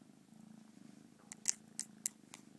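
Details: Pet cat purring with a low, even rumble, interrupted midway by several quick, sharp clicking or sniffing bursts close to the microphone.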